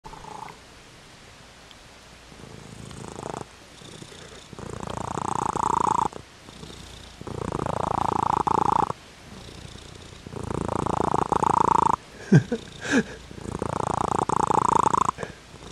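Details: Pet cat purring in long, loud rumbling bursts of about one and a half to two seconds, each made of rapid fluttering pulses, separated by quieter pauses; five bursts in all, with a brief click partway through.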